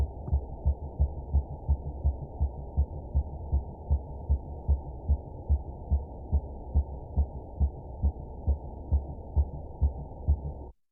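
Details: A minke whale in Scottish waters gives a clean pulse train call, probably male-generated: low, throbbing deep thumps repeating a little faster than twice a second.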